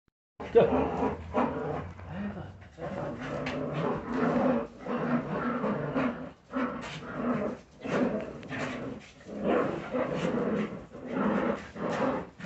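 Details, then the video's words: Jagdterrier puppies at a kennel, a mix of low growls and short yips in repeated bursts, voices overlapping in a small room. "filhotes de jagdterrier"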